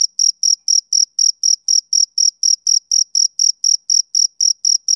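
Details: A male cricket chirps steadily on a summer evening, about twenty bright, ringing pulses over five seconds, each a short high trill, evenly spaced and clean.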